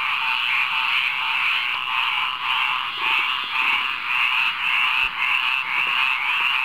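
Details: Frogs singing together in a rainwater pond at midnight, a dense, steady, rasping chorus of overlapping trills that pulses slightly about twice a second without any break.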